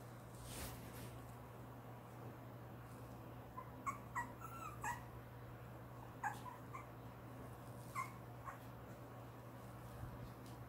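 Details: Two-month-old long-haired Chihuahua puppy whining because the bed is too high to climb onto; thin, high whimpers come in short clusters from about four seconds on, over a steady low hum.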